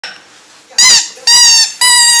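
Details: Pet dog being taught to "sing": after a quiet start, three short, high, steady whining tones, each about half a second long, follow one another in quick succession.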